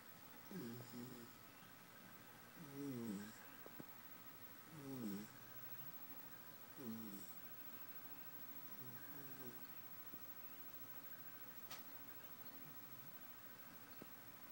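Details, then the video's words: Tater, a Basenji dog napping indoors, snores in a steady rhythm, each breath a low raspy rasp about every two seconds, fading softer toward the end, with a constant electrical hum behind. "Basenji snoring part 1"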